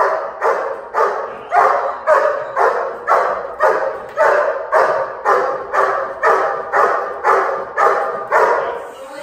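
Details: Steady, rhythmic barking from a dog in protection training: sharp, evenly spaced barks roughly every 0.6 seconds, about fifteen in nine seconds, each one loud and abrupt.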